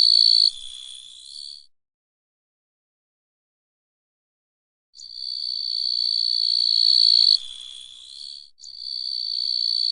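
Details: Small grasshoppers make a steady, high, dry buzzing that breaks off into silence, then starts again.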